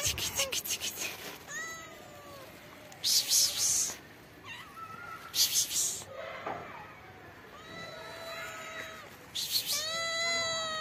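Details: Black kitten, hungry and waiting under trees to be fed, makes a series of thin, high meows that rise and fall, repeated every second or two between loud bursts of rustling.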